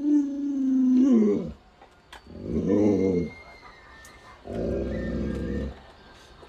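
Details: Lolo, a pet Alaskan Malamute, holds a steady low howl for about a second. Two rough, noisy grumbling bursts follow, separated by quiet gaps, in an indoor setting.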